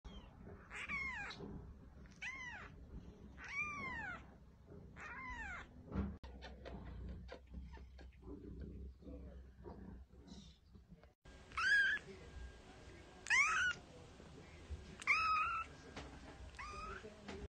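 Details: Maine Coon kitten, shown growing from two days to six months old; a run of arching meows rising then falling, then a quieter stretch with soft clicks and rustling, then several louder, higher, wavering meows near the end.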